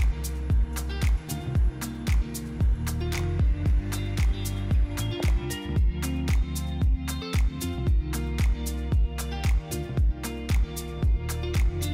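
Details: Upbeat music with a steady, punchy beat fills the whole stretch, with no animal voice heard.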